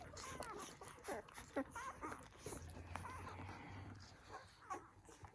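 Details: Newborn poodle puppies nursing on their first day of life, giving faint high squeaks and whimpers in short bursts over a hum of background noise and soft suckling sounds.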